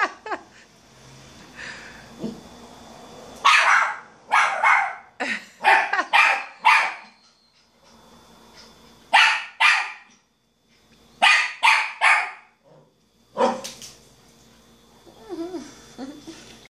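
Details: Miniature schnauzer puppy, a 5-month-old female, facing her mirror reflection for the first time. She gives a long series of sharp, rapid barks in bursts of three to five, with short silent gaps between bursts and occasional human voices.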